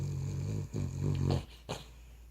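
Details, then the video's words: Cavalier King Charles Spaniel snoring while asleep indoors: low rumbling, harmonic snore lasting over a second, broken by short gaps, then a brief sharp snort near the end. "Cavalier King Charles Spaniel snoring"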